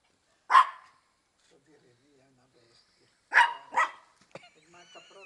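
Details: Female Maltese playing a favourite game, watching under a car for the feet of her playmate to avoid capture; a single loud bark, a pause, then two quick barks, followed by soft human speech.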